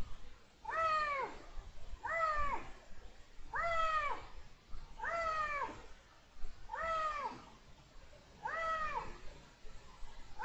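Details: Iberian lynx male in rut, January 2022: six similar meows repeated regularly about every one and a half seconds, each a bent, rising-then-falling wail with strong harmonics, over low steady rumble.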